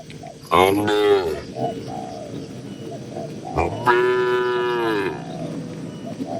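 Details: Two strong lowing calls from barn cattle, each about a second long with rich stacked harmonics, over a busy background of murmuring livestock noise on a rural farm.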